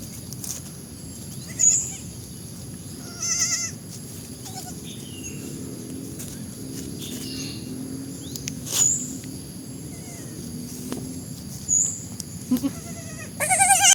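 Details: Goats bleating sporadically, short tremulous nasal calls separated by long quiet gaps, a louder bleat closing the stretch, with faint low rumbling background noise throughout.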